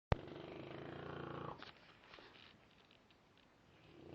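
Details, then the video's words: Frank the dog snoring in an unusually weird, demonic-sounding way: one harsh, raspy, low rumbling breath lasting about a second and a half, then near quiet. "demonic snoring dog"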